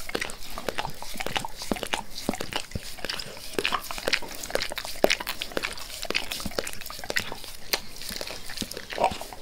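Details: Wet, sloppy licking from Max the dog as he works over his owner's face, crisp smacking clicks packed closely together at a steady frantic pace, nothing else heard.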